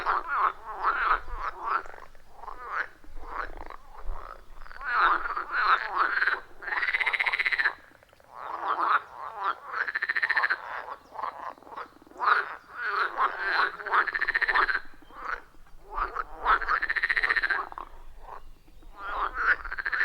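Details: Loud chorus of wild frogs around a pond deep in a forest, recorded on iPhone 14 Pro with Shure MV88+: dense overlapping pulsed croaks in rhythmic bursts, with a brief lull near the middle, no other sounds.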